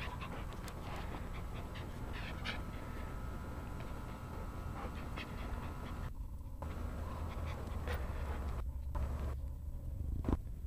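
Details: A new AKC-registered Jack Russell Terrier pants rapidly and steadily while playing, with brief soft whimpers and a low rumbling noise.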